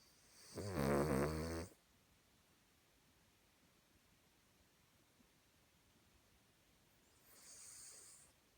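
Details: Cavalier King Charles Spaniel snoring while asleep, sounding almost human: one strong, vibrating, low snore of over a second, followed by a long silent stretch and a faint hissing breath near the end.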